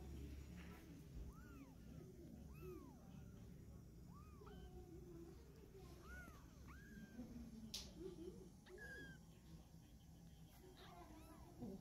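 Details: Kitten in its mother's mouth as she carries her litter to a new spot. A series of thin, arching mews repeats roughly every one to two seconds over a steady background hum, with a sharp knock midway.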